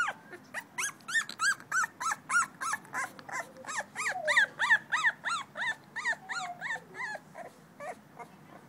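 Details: Davy, a male blue-nosed American Pit Bull Terrier puppy two weeks old, filmed 21 December 2011, gives a steady run of high, squeaky whimpers, about three per second, each a short rising-falling squeal, continuing for nearly nine seconds.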